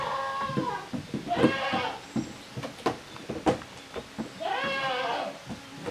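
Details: On 13 June 2023 at Yoshigake handmade goat farm, the kids of Koharu and Okayu play in two teams in the yard; loud, bright wavering bleats open and close the stretch, with thumps and taps of play between them.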